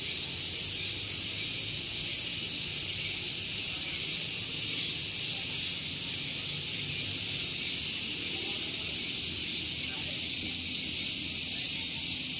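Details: Morning at Gunung Geulis, Bogor, West Java: cicadas keep up a piercing, steady buzzing hiss that beats in rapid pulses, while a quiet low murmur of background noise from the nearby parking area stays under it.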